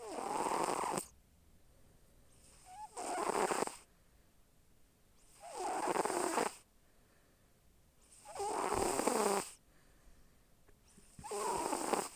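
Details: A pet cat sleeping and snoring at home: five long, breathy, rasping snores, each lasting about a second and coming every two to three seconds, with quiet pauses between them.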